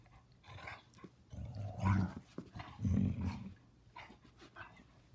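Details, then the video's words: Senior Basset Hounds Ruby, a foster female, and Sonny play a game, giving two deep, rumbling growls about a second apart, each swelling then fading, between softer snuffles and huffs. "Basset hounds seniors play a game."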